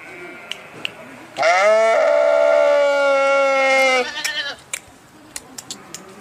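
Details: Single drawn-out sheep bleat of about three seconds, loud and nasal with a slight tremble, framed by quiet background with a few faint clicks.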